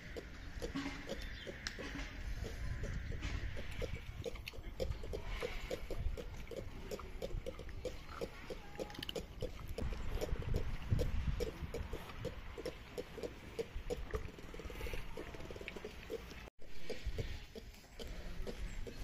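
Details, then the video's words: Captive ring-tailed lemurs (Lemur catta) at Tierpark Ströhen utter rapid, evenly spaced low clicks and grunts, occasionally denser, over a muffled rumbling enclosure ambience. "Die Laute des Kattas - ( Lemur catta )"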